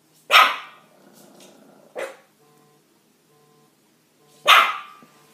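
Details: Dog barking: sharp, loud single barks, one near the start, a softer short one at two seconds and another strong bark near the end, with a faint hum in the pauses.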